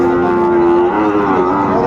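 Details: Sahiwal bull calf at Ambari cattle market on 13 January 2025, giving a steady, droning moo. A level, even tone holds for about a second, then dips slightly and carries on, with traders talking in the background.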